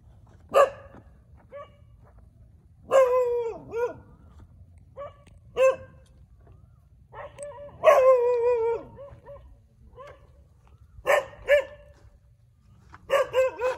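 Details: Several dogs barking in the street: loud harmonic barks and howling yelps in irregular bursts, some drawn out and wavering, separated by short quiet gaps, with low background hum.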